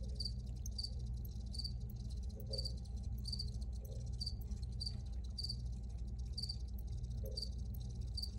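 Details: Chirping crickets: evenly spaced, high, pulsed chirps, roughly one every two-thirds of a second for the whole stretch, with a few faint softer chirps between and a steady low hum beneath.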